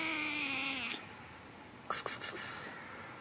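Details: Hungry kitten with no food gives one steady, slightly falling meow lasting about a second, followed by a quick run of sharp clicking rattles.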